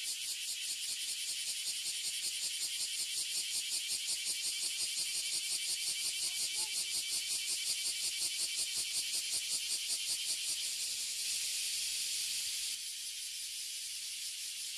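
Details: Oily Cicadas and Bear Cicadas (Abura Zemi and Kuma Zemi) filling a tree in Toyohashi City, Japan, ear-damagingly loud: a dense high-pitched buzzing chorus pulsing rapidly and steadily, its texture shifting slightly near the end.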